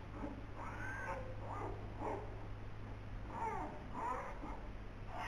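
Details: Polar bear twins born 14 November 2021 in the Zoo Rostock birthing den, recorded by den camera; whiny, wavering cries rise and fall repeatedly, about one each second, over a steady low mechanical hum.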